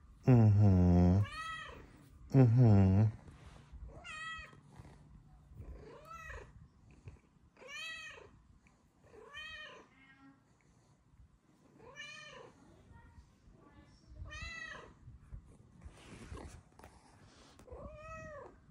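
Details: Luna Bear, a female Bengal cat with blue eyes, meows again and again, about ten short arched meows every one to two seconds, after two loud bursts of a low human voice at the start.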